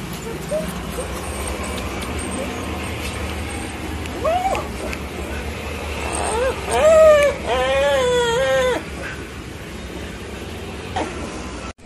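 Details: Stray dog crying on greeting a person; after quiet street noise, short whimpers build into a longer wavering whine near the middle, with traffic sounds throughout.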